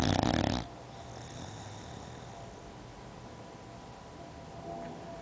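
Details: Molly, an 11-year-old female English bulldog, sleeping on a couch gives one loud, rough, rattling snore, then breathes quietly; her snoring is loud enough to hear from upstairs.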